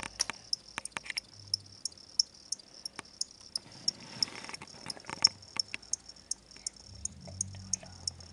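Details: Pair of pet-shop crickets, sold as reptile food and now kept as pets indoors, chirping steadily. Bright, high, clicky chirps come roughly three per second, with faint soft voices and a low hum near the end.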